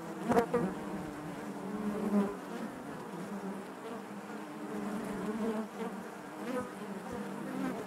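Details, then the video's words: Honey bees buzzing inside their hive: a dense, continuous hum with a steady low drone and wavering overtones, brief louder swells near the start and around two seconds, and faint clicks. "bees therapy hive natural buzzing sound"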